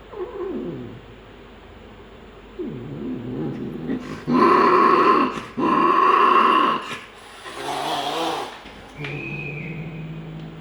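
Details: Persian cats fighting in Gujranwala, wavering low yowls rising and falling early on, then a burst of loud, harsh, broadband screeching and hissing in the middle, ending with a steady higher drawn-out wail over a low growl.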